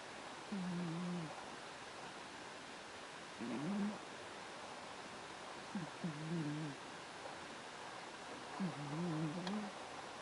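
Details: A sleeping pet cat named Myu-chan snores at home, the loudest snorer among her housemates Teto-chan and Miru-chan. Four low, rough, two-part snores arrive roughly every two to three seconds over a steady faint room hiss.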